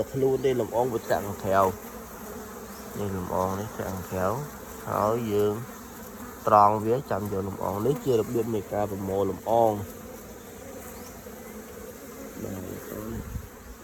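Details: Pollen-gathering honey bees in the morning: repeated loud buzzing passes, each a few tenths of a second to a second long, with sliding pitch. Quieter stretches come between, and the buzzing thins out toward the end.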